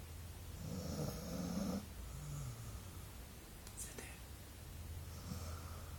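A golden retriever snores with low, rumbling breaths, plus a faint hiss of air.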